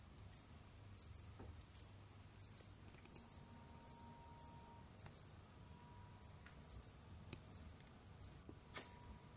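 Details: Captive Jamaican field crickets kept as pets, roaming, digging and hunting indoors: short high chirps, single or in quick pairs, repeated irregularly about every half second, over a faint steady hum and low room rumble.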